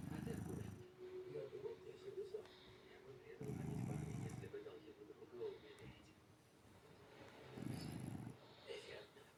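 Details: Cat asleep with its eyes open, snoring: low, rough, pulsing snores lasting about a second, recurring roughly every four seconds, with a steady murmur of voices underneath.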